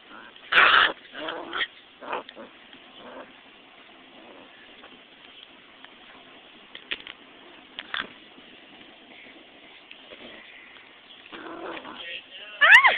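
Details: Kush, a six-week-old puppy, gives a few short high whines and whimpers near the start, then long near-silence with faint rustles, and a sharp rising squeal at the very end.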